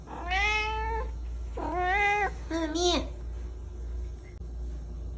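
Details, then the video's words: Pet cat, described as a little black cat meowing loudly, gives three drawn-out harmonic meows, the last rising and falling, over a steady low hum. "a little black piggy meowing loudly"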